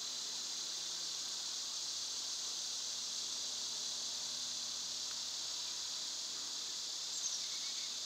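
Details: Summer cicada chorus: an unbroken, even, high-pitched electric hiss held at constant loudness throughout, with only a faint low hum beneath and no other clear voices.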